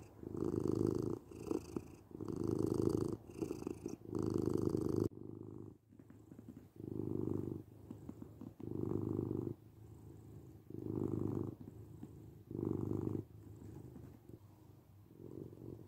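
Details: Domestic cat purring steadily, a low rumbling vibration pulsing in rhythmic breaths roughly every second, louder in the first few seconds and softer afterwards, in a quiet room.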